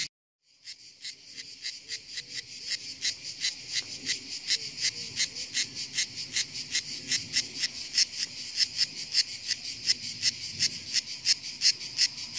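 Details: A well-camouflaged cicada found on hills begins singing after a silent first half-second: sharp buzzy pulses repeated nearly three times per second, steadily growing louder, with faint low rustling underneath.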